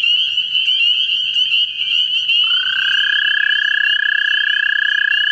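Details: A high chirping chorus fills a central Ohio vernal pool. Partway through, an American toad looking for a mate starts a loud, steady, buzzy trill that holds unbroken to the end.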